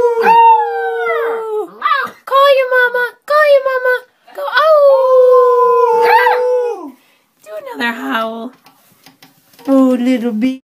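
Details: Cute puppies crying and howling: a series of drawn-out wavering wails, each a second or two long, with short gaps between, some ending in a falling slide and a lower, rougher tone near the end.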